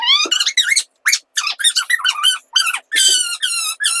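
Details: Talkative tuxedo cat chatting with its owner in a rapid run of high, squeaky chirping meows, about ten short bursts in four seconds, some rising and some falling.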